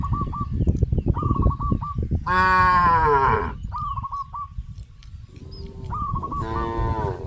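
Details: Cows on a traditional village farm, heading in a herd to green grass fields, give one long, full moo, then a shorter moo near the end. Bursts of rapid bird chirping fill the gaps.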